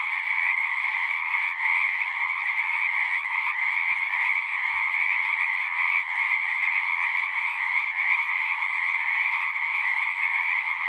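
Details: Massed frog song from a natural nighttime-style chorus: dense, even trilling in two stacked bands, unchanging and continuous, with only a faint low click or two beneath it.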